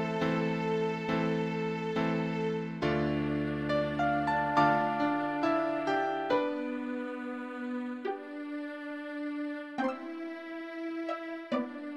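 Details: Gentle melodic instrumental music with sustained bowed and plucked tones and soft chords, with no animal calls heard.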